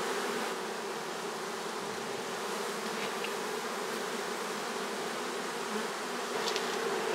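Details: A swarm of western honey bees hums in a dense, steady drone during swarm season while being collected by a beekeeper.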